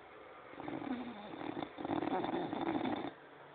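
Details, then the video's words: French Bulldog snoring: a rough, rasping, fluttering drone held for about two and a half seconds, slightly louder in the middle, with a quiet room before and after. "французский бульдог.душевный храп"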